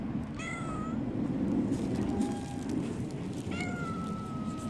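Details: Tortoiseshell street cat pestering early in the morning, with a drawn-out level meow, a short thin mew, then a long flat meow, against steady low city background noise.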